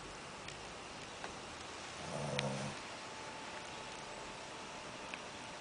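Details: Snoring Shih Tzu puppy that has eaten too much: one low, grating snore midway through, surrounded by soft room hiss and a few faint ticks and clicks.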